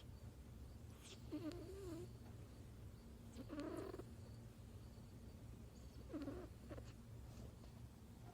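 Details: Loud snoring from a dozing kitten: three soft, wavering, whistly breath sounds a couple of seconds apart, fainter and more muffled, over a steady low hum.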